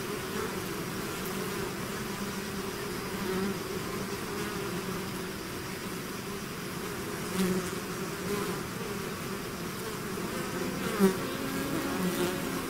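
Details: Swarm of bees leaving its hive: continuous layered humming, low tones wavering slightly, with occasional louder individual bees flying close, notably near the end.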